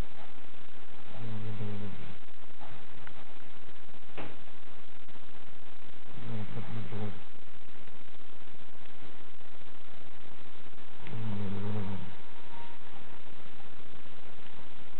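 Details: Bim, a pet dog, sleeping and snoring: three deep, buzzy, rumbling snores spaced roughly five seconds apart, each lasting about a second, over a soft steady background hiss with a faint click near four seconds.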